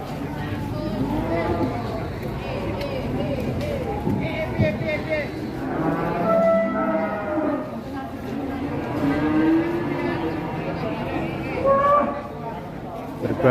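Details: Raging cattle being unloaded from a truck, giving long, low, harmonic moos around the middle and end, each drawn out for about a second, over constant crowd chatter and men talking.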